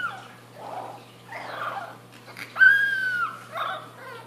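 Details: Boston Terrier puppy, a young female finding her voice, lets out one level sustained howl lasting under a second, preceded by soft murmuring sounds indoors.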